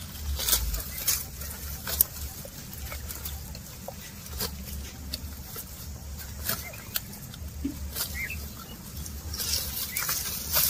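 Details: Cattle grazing while walking: sharp separate crunches and rips of grass being pulled, scattered irregularly across the clip, with a low rumble underneath and faint rustling between bites.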